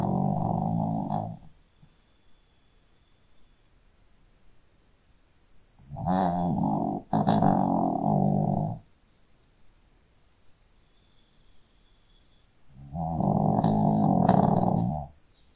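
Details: Sleeping Shih Tzu snoring loudly, three long, rough, throaty snores of one to two seconds each, separated by quiet pauses of about four seconds, with a faint high whistle between them.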